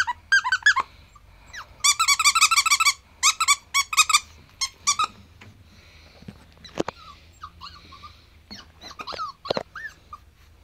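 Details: Seven-week-old male Pomsky puppy, ivory white, squeaking loudly in quick rapid series of high, harmonic yelps, then softer scattered whimpers and a single sharp knock.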